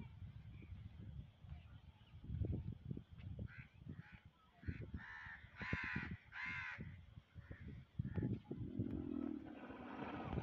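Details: Two angry camels fighting in a desert area: deep throaty gurgling rumbles with a run of harsh, honking bellows in the middle, under steady background noise.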